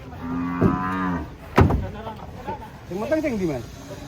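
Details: A cow coming down off a truck lets out a steady, level moo lasting about a second, followed by a thump and then softer wavering calls and background voices.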